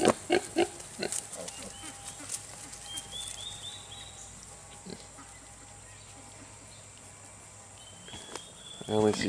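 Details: Kunekune piglets two weeks old: a quick run of rough grunts at the start, a long quiet stretch with faint chirps, then a louder, more tonal squealing grunt near the end, with voices nearby.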